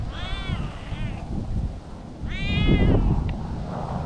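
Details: In a park where cats play freely, two brief meows sound about two seconds apart, the second fuller and louder, against a low, rumbling outdoor background.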